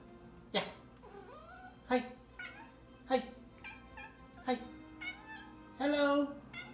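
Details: A cat gives a series of short, rising and falling meows in a daily after-work greeting exchange with her owners, who answer with repeated "hello".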